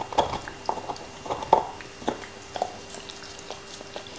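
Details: A black Labrador named Nixon crunching a beef bone, sharp bites spaced roughly every second or so, lighter clicks between, faint steady hum behind.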